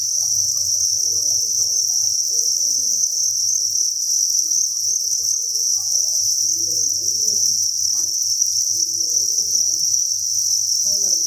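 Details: Thousands of crickets chirping inside a cricket breeding farm, merging into a steady, unbroken high-pitched shimmering chorus with no pauses, over faint low murmuring and soft scattered background sounds.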